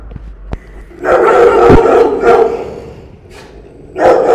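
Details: Rottweilers of the Villa María district canine brigade in Peru, a female and a male kept shut in a cramped kennel, thin and neglected; deep, harsh barks come in rough bursts, with a voice speaking faintly nearby.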